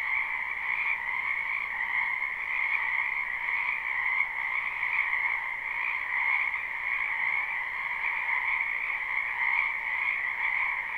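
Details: Live spring recording from a wetland full of frogs: their massed croaking makes an even, buzzing wall of sound, two stacked tones holding steady throughout with small rhythmic flutters in volume.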